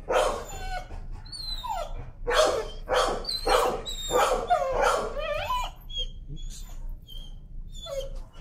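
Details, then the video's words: A timid dog, very sensitive to leash pressure, screams and protests while being walked and desensitized: a run of loud, harsh yelping screams with sliding pitch, roughly every half second, fading into thinner whimpering cries near the end. "Timid dog, afraid of leash, screams and protests."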